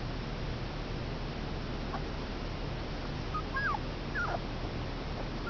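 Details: Five male Komondor puppies, two weeks old, give a few thin, high whimpers, sliding downward in short squeals mostly in the second half, above a steady low hum.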